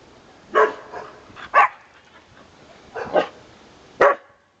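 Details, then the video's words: Conga, a male pet dog praised as a good watchdog, gives little barks: four main sharp barks roughly a second or more apart, some preceded by softer grunting yips, over a quiet room. "barking at the world"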